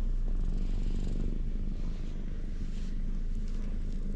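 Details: Ginger stray cats lounging in a cat shrine's parking lot in Japan, being stroked, recorded on a GoPro; a steady, low, rumbling purr runs throughout with slight rhythmic pulsing and faint background hiss.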